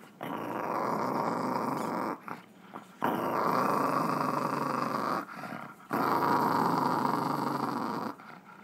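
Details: Chihuahua indoors producing an odd, continuous raspy growl, steady and buzzing, in three sustained stretches broken by short pauses for breath.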